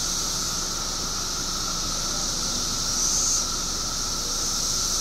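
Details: Periodical cicadas in Illinois, billions emerging after 17 years underground, fill the air with a continuous high, hissing drone layered over a steady, thinner mid-pitched whine, with a brief louder swell near the middle.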